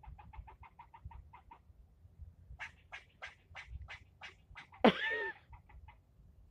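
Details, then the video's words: During nearly ten minutes of yelling at a person, a male squirrel gives a fast run of soft chucks, then a slower series of louder harsh barks, broken by one abrupt, loud, sweeping squeal. "Getting yelled at by a squirrel"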